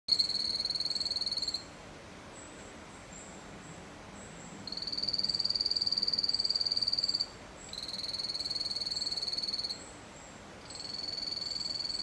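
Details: Poison dart frogs (Dendrobates) in an aquarium-vivarium give high, buzzy trills, each lasting a few seconds, with short pauses between.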